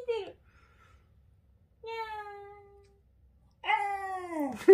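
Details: Shiba Inu dog giving a cat-like "nyaa" meow indoors: three drawn-out tonal calls separated by silence, the first short and falling, the second level and fading, the third longer and wavering, ending in a brief louder burst.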